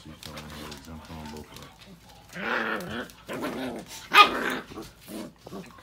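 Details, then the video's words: Ms. Cinnamon, an American Bully being a bully, gives a chain of wavering, moaning grumbles that rise and fall in pitch, broken by a sudden sharp yelp-like burst, while people speak nearby. "American Bully - APBT Ms. Cinnamon being a bully"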